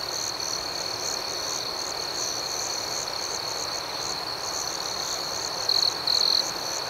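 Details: A high, even chorus of night crickets pulses on without pause, then near the end a nearer cricket gives two brief, louder trills in quick succession.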